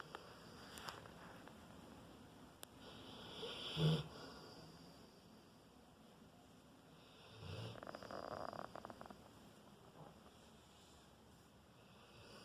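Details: A sleeping four-year-old Rottweiler snores: a sharp, rumbling inhale around four seconds in, then a longer, rattling breath a few seconds later, with soft room hush between.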